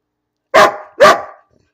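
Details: Two sharp, loud barks about half a second apart from Bean, a house dog barking for no reason, with silence around them.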